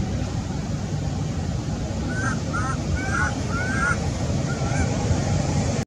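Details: Baby monkey Sweet pea crying loudly, angry at his mother and screaming to nurse: about five short, thin, wavering cries, each rising then dipping, come in quick succession over a heavy, steady low rumble.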